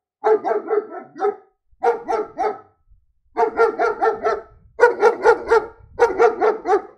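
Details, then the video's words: Repeated barking from a German Shepherd: five tight clusters of three to five harsh, mid-pitched barks, each cluster split by short silences, the third and fourth clusters loudest and longest. "Som de Pastor Alemão Latindo - Latidos de Cachorro Pastor Alemão"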